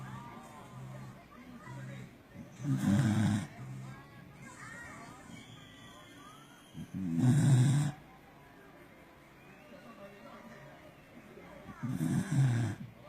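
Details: A pet Corgi named 嘎逼 snores loudly while asleep, deep and rumbling. Each low, rasping breath comes about every four to five seconds, with quiet gaps between them.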